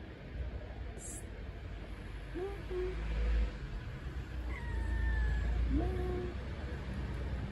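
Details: Hungry blind stray cat living on the street, waiting to be fed, gives about three short rising meows in quick succession, one higher and thinner, set against a steady low rumble of street noise.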